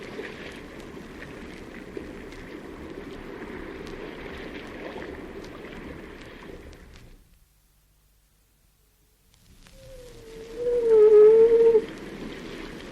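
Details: A seal in a cave gives a single wavering, moaning howl that dips and levels off, after a stretch of rumbling water noise.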